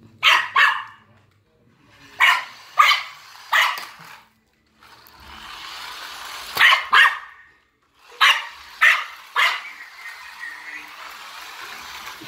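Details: Maltese dog barking at a remote-control cop car it chases: quick doubled and tripled barks in bursts separated by pauses, with a steady hiss from the moving toy between bursts.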